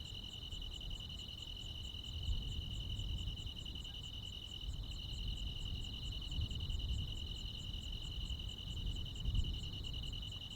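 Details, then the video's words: Crickets and other insects singing on a summer night in the Korean countryside, a continuous high trill with rapid faint pulses above, partly masked by a heavier rumbling low background that rises and falls. "시골 야간 귀뚜라미, 벌레 소리"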